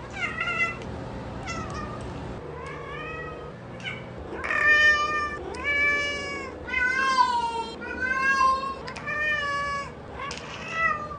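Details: Cat giving a series of long, wavering meows, some rising and falling in pitch, roughly ten calls growing louder and more plaintive toward the middle, with a faint low hum behind.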